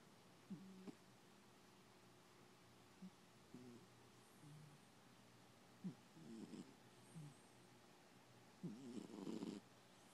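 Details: Pet cat asleep and snoring: scattered short, low buzzy breaths, some with faint harmonic tones, spaced unevenly, ending in a slightly louder rough rattle, with a quiet indoor background.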